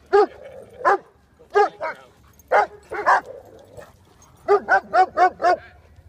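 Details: Black Russian Terrier and Irish Wolfhound playing together in a Toronto park; a series of sharp, harmonic barks in irregular bursts, singly and in pairs, then a quick run of five near 4.5 to 5.5 seconds.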